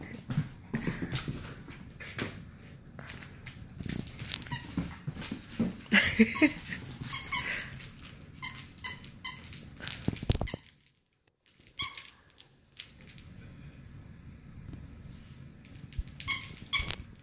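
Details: Domestic dogs at play, a Labrador called Eddie pestering a Dachshund; sharp squeaky yelps and whines cluster midway among clattering claws and bumps, then a brief hush before more scuffling, with a woman's voice nearby.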